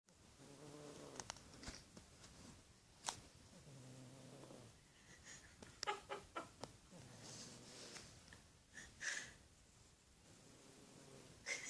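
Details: Pet cat snoring, soft harmonic purring-like snores lasting about a second each, coming in slow breaths, with small clicks and rustling sounds in between.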